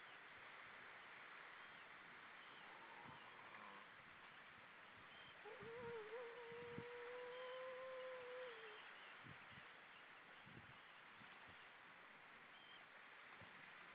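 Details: Seal on the right playing, recorded 4 May 2013 at 06:17; a sustained wavering tone holds for about three seconds, edging slightly upward with a faint overtone above, over steady hiss and scattered low thumps.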